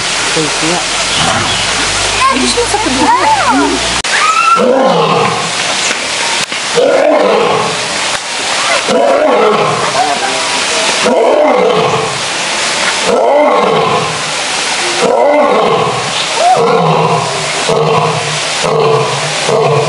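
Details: Zoo lions, males, roaring in a long bout: a string of arched, grunting roars repeated every second or two that rise then drop, with people talking throughout in the background.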